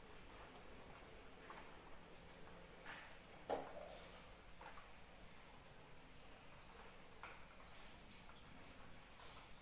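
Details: Crickets trilling in rain, a sustained thin, high ringing drone, with soft raindrop taps and a louder drop hit around three and a half seconds.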